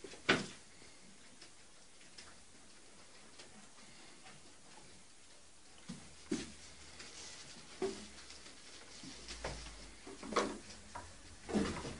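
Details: Quiet indoor room noise broken by scattered sharp taps and knocks, with no animal voice heard.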